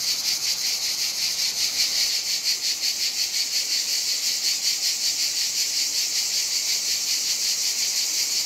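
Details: Many cicadas singing on a hot summer day in Provence, France: a dense, continuous high buzzing chorus with a rapid pulsing shimmer, steady throughout.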